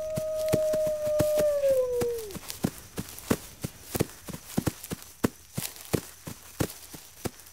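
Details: One wolf gives a level, sustained howl that bends down and cuts off after about two seconds, warning the pack. A steady pattern of sharp crackling clicks continues afterward.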